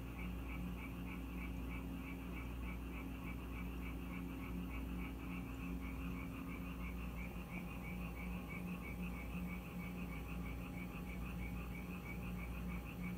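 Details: Frogs drawn to a Korean house by rain croak together in fast, bubbling pulses that repeat steadily and blend into one chorus, with an even low hum beneath.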